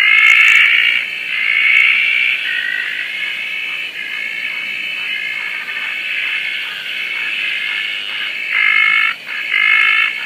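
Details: Night chorus from Roth's tree frogs and many other frogs in Koah after rain, heard a little farther off: a softer, wavering high trill with quick pulses, louder at the start and near the end.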